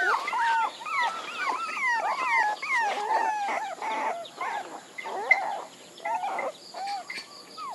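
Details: A group of puppies whines steadily. Their high, wavering cries bend up and down in quick succession, several pups calling over each other, with faint high beeping late in the recording.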